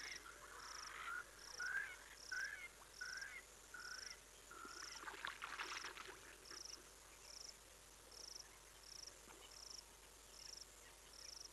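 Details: African wild dog on a camera at Olifants West in the Greater Kruger private reserves, South Africa, giving high, chirpy twittering notes in a quick series, with a steady insect pulse behind.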